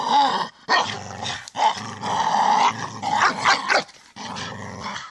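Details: Staffordshire Bull Terrier giving deep, rumbling growly vocalisations in long harmonic bursts of about a second each, separated by short breaths, loud and close throughout.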